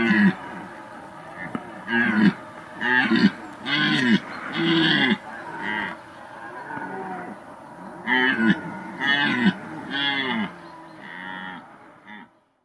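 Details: A red deer stag roars during an intense September 2021 rut, when stags bellowed almost continuously day and night: a run of deep, hoarse bellows about once a second.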